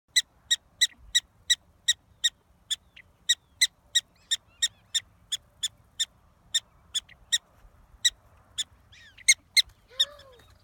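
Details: A prairie dog in Theodore Roosevelt National Park, on the trail to the old east entrance, gives sharp, high chirps, repeated steadily about twice a second.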